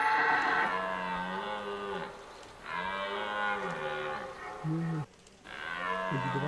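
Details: Red deer roaring during the 2023 rut in Hoge Veluwe park, Netherlands, where rangers feed the deer apples at set spots; four deep, harmonic bellows, the longest about two seconds, separated by short pauses.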